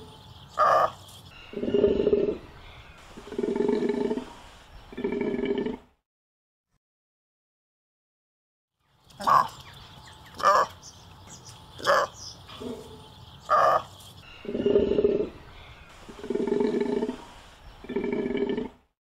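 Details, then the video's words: Golden takin giving a series of short sharp calls alternating with longer, droning bleats, repeated in two bouts separated by a few seconds of silence. "Odgłosy i Dźwięki jakie wydaje Takin Złoty"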